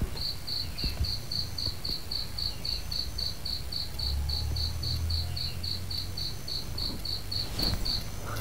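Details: Cricket chirping in the early morning near grape plants, a steady series of short, high, clean pulses repeated about three times a second, over a faint low rumble.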